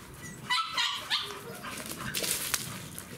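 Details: American Staffordshire Terriers on their first outing at a river, giving a few sharp, high barks in quick succession over outdoor noise.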